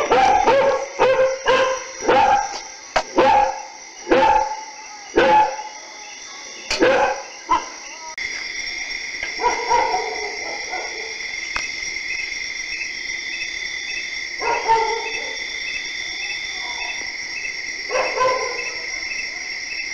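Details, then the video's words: Dogs barking at night: a run of loud, sharp barks roughly every half second for the first seven seconds, then scattered distant barks over a steady high chirping of night insects. "DOGS BARKING DURING NIGHT - DOGS BARKING - DOG SOUND"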